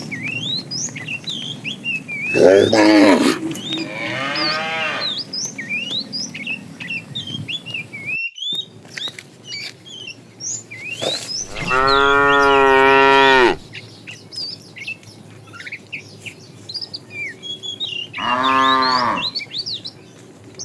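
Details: Herd of tame cows walking along a road looking for food, giving three rich, harmonic moos, the middle one long and loud, with lively bird chirps continuing between calls.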